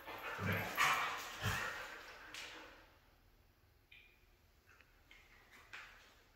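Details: A red female Siberian husky opens with several loud, rough, yelping barks in quick succession, then drops to thin, high-pitched whines and whimpers that trail off quietly.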